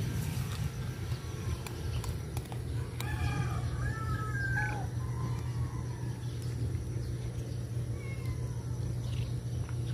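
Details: Stray cats being fed outdoors; midway comes a short run of drawn-out, wavering meows that rise and fall in pitch, set over a steady low hum with scattered clicks and faint background noise.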